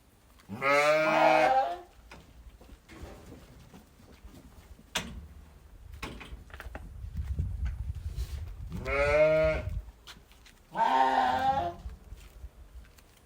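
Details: Sheep from a flock giving loud, drawn-out, quavering baas, three strong harmonic calls with a low rumbling murmur and faint knocks between them.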